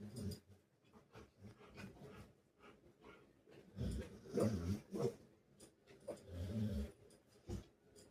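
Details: Pet Rottweiler interrupting its owner's work with throaty low grumbling growls and moans, strongest in the middle, alongside clatter and sharp knocks.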